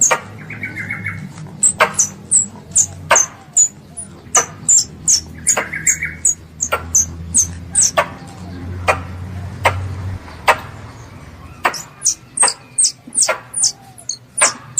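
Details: A pest squirrel's call to its mother: steady streams of shrill, high-pitched squeaks, about two or three per second, broken by brief pauses, over a soft low background drone.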